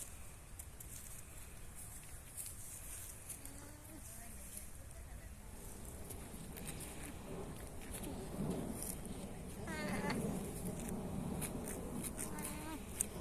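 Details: A baby llama and its family give soft, nasal, wavering calls that rise and fall over a steady rushing background noise.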